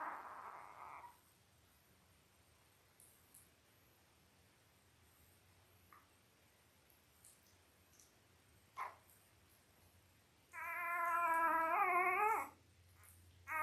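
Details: Labrador Retriever puppy, five days old, one of eight newborns in Belle's Christmas litter: a brief squeak opens, then near silence with faint clicks, until a strong wavering harmonic whine lasting about two seconds near the end.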